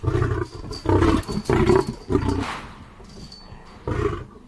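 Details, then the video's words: Lion producing a quick run of four deep, coarse roar-grunts, then a pause and one final low grunt, each burst rough and throaty. "lion sounds"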